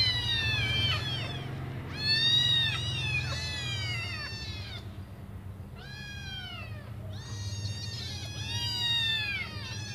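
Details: Waiting to be fed, five hungry kittens cry for their mother: clusters of shrill arched mews from several kittens, brief pauses between bursts, over a constant low droning hum.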